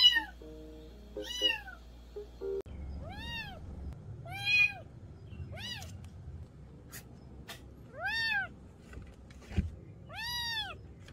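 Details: Kitten meowing after a short burst of electronic tones, clear arched meows with strong harmonics, repeated about every one to two seconds, some higher and thinner, over faint background rumble.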